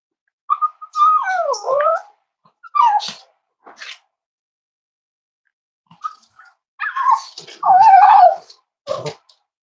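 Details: Cozy Cavalier King Charles Spaniel puppies snuggle indoors on a warm Friday morning. Two bouts of wavering, bending whimpers rise and fall, with short yelps and soft snuffles in between and quiet gaps.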